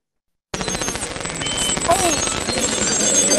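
A dense underwater chorus of beluga whales: rapid clicking trains mixed with chirps, squeaks and sliding whistles.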